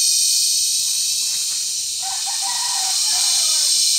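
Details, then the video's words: During cicada season in La Carlota City, Negros Occidental, mating cicadas at Sitio Bagumbayan on July 18, 2020 produce a harsh, high, continuous buzzing. A faint tonal call rises briefly in the background near the middle. "Pinaka Maingay na Insekto sa Buong Mundo | Cicada Season | Cicada Mating"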